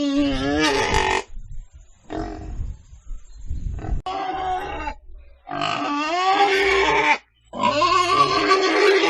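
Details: Pig sounds: an opening squeal, then a quieter stretch of low grunting, then two long, loud, warbling squeals that rise in pitch.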